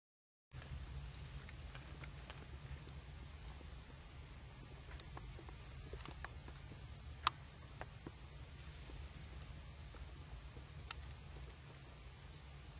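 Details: Dormouse, startled after peeking out of a hole, calling agitatedly: sharp, scattered clicks spread irregularly over about twelve seconds, with a few louder snaps, set against a steady low hum and faint background hiss.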